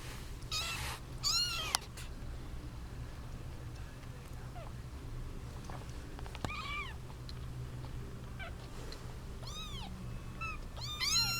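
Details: Kittens from a litter of seven females and one male squabble over their eight-month-old mother, giving a loud burst of mewing at the start, then scattered thinner arched meows, growing busier near the end, over a low hum.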